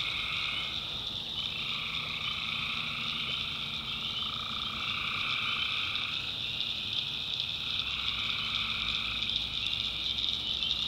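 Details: Tree frogs at night in North Carolina's backwoods, massed callers producing a thick, steady high trill, with a secondary lower band of calls rising and fading in waves of several seconds each.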